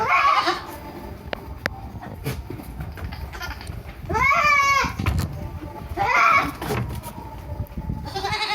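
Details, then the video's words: Goat kids on a Purwokerto, Indonesia farm: two separate quavering bleats about two seconds apart between quieter stretches of rustling and background farm noise, with a faint bleat at the start. "Best goat sound in the world 2023 - Goat Makes Weirdest Noises"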